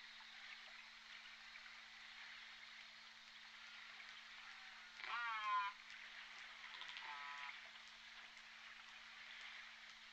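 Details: J Pod orcas recorded on the Point Robinson hydrophone on 14 December 2021: two loud harmonic pulsed calls, the first rising then falling, the second a quieter stacked call about two seconds later, over steady underwater hiss and a low hum.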